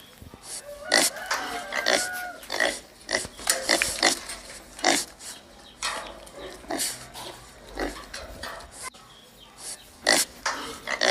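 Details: White wild pig giving a run of rough, noisy grunting bursts with a few brief tonal squeaks, irregularly spaced throughout.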